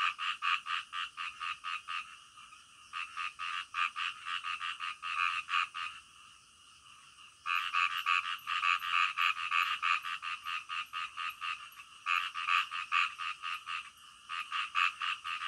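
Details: Frogs croaking in the middle of the night, loud rapid pulsed calls repeated about four times a second in bursts, with brief lulls near six and twelve seconds before the chorus resumes.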